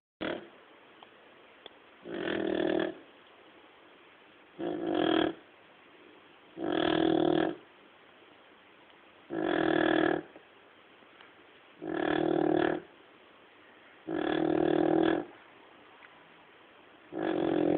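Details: Male pet dog snoring steadily while asleep, eight rough, breathy snores about every two seconds with quiet gaps between, indoors with no other sounds.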